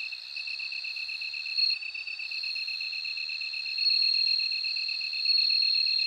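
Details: High, continuous ringing of a bell cricket with short brighter flourishes, accompanied throughout by a rapid train of lower ticking pulses in a dense insect chorus.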